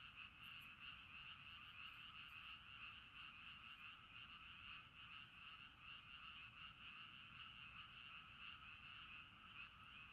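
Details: Night frog chorus by a river at a campsite in Sapporo, Hokkaido, Japan, many callers overlapping into an unbroken pulsing trill that holds steady throughout, faint higher ticks early on.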